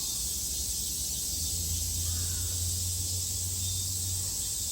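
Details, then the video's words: Cicadas in Japan in summer 2022, a continuous dense high buzzing that holds steady throughout, with a low hum underneath in the middle seconds. "Sounds of the cicada [ Japan in summer ] セミの声"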